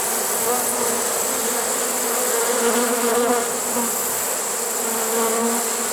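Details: Late-season honey bee swarm, caught in a swarm trap on 1 September 2019, fills the air with a steady, low, many-voiced hum that barely changes in level.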